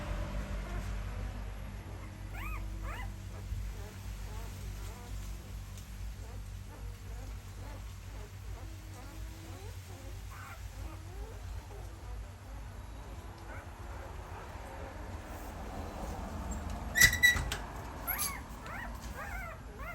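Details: Several puppies crying, with many short, high, wavering whimpers and yips overlapping through the clip, a few louder sharp yelps near the end, over a low steady hum.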